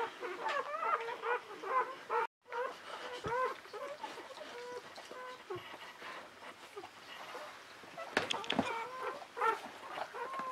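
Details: Newborn Czechoslovakian Wolfdog puppies, a litter of five females born 21 November 2020 to Orizon and Rahan at a breeding kennel, squealing in quick harmonic chirps, several per second with short pauses, while a woman talks softly in French.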